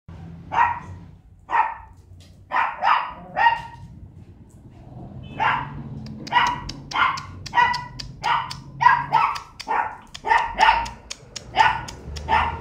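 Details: Male Scottish Terrier puppy, three and a half months old, barking in sharp single yaps, spaced at first, then coming faster, roughly one every half second, with a low background rumble.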